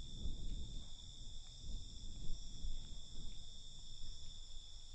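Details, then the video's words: Crickets at night: a steady, unbroken high-pitched trill in several stacked bands over a low rumble of background noise. "Night Cricket Sound"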